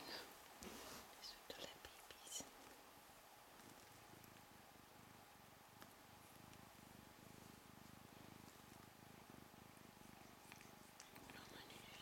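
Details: Two-week-old Ragdoll kitten purring indoors, a soft low rhythmic rumble pulsing steadily through the second half, with quiet whispering and a faint steady hum in the room.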